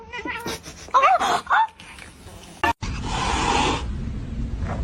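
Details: Domestic cat mewing: a few short, bending calls in quick succession, followed by a burst of rustling noise, with people talking nearby.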